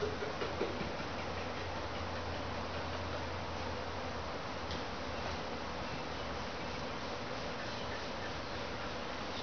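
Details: Honey bee swarm in a backyard: a dense, steady buzzing hum fills the whole recording without pause, a low drone running underneath through the first half.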